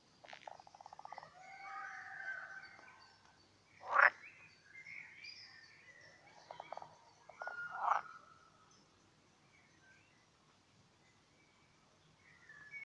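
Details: Pool frogs (Pelophylax esculentus) in their mating ritual give rapid, pulsed, buzzy, rattling croaks that overlap at irregular intervals, with two louder, harsher bursts rising above the softer chorus before it fades to quiet.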